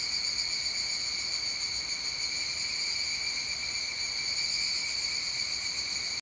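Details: Higurashi, the evening cicada, calling at dusk around 19:12 on a July Wednesday; continuous high, bright metallic ringing with slight rhythmic wavering, unbroken from start to end, no other sounds clear.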